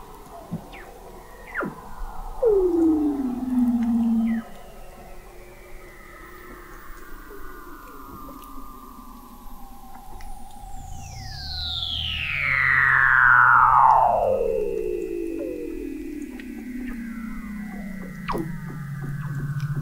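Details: Weddell seals recorded in November 2017 by a hydrophone installation 21 m below the sea ice in McMurdo Sound, Antarctica: long eerie descending glissando whistles, one sweeping steeply down from very high pitch, overlapping chirps and trills beneath.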